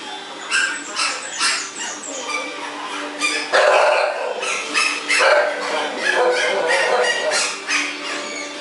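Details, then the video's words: Thai Bangkaew dogs playing happily and boisterously at a kennel in Thailand; bursts of short, sharp barks and yelps come in quick irregular runs over a steady tonal background. "Very Funny Thai bangkaew dog"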